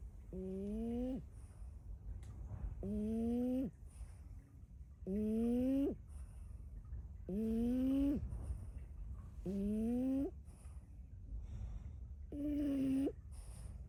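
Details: A sleeping female French Bulldog snores in an unusual, tuneful way. Six buzzy, rising, harmonic snores repeat about every two seconds, each under a second long, with quiet breathing between them.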